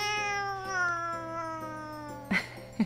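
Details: Drawn-out meow from a house cat during its owner's live gaming stream. A single long, slowly falling wail holds for over two seconds against faint steady background tones, followed by two brief clicks.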